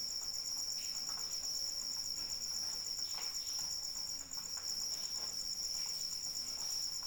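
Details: Cricket chirping nonstop in the rain, a sharp high trill with even rapid pulses, accompanied by a steady wash of rain and soft drips.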